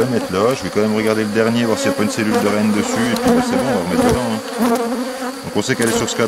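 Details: A drone-laying honey bee hive being rescued on 3 May 2021, where a frame of brood with nurse bees was added from the neighbouring hive. Many overlapping humming wingbeats rise and fall in pitch in a thick, continuous drone.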